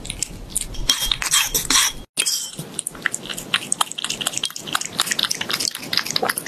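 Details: Cat eating raw fish indoors: wet, clicky chewing and biting bursts in quick irregular succession, with occasional sharper smacks and a short break of silence partway through.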